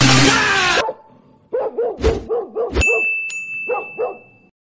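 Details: Labrador on a morning walk, fighting with street dogs: a burst of noise, then a run of short, hoarse barks in quick succession, a pause, and two more barks, with a steady electronic tone over part of it.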